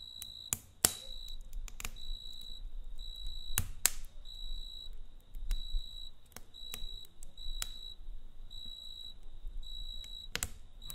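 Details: Cricket chirping at night next to a campfire: repeated high, buzzy trill pulses of uneven length continue throughout, over a low rumble and occasional sharp crackles of the fire.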